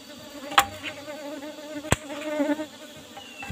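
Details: Asian honey bees, Apis cerana, kept in an old-style wooden box hive with a cover of used asbestos sheet, during a honey harvest; a steady droning hum with wavering overtones, broken by two sharp clicks or knocks.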